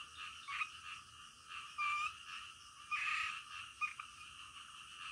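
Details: Frogs croaking at night, a steady buzzing background chorus with several louder, rasping croaks standing out at irregular intervals.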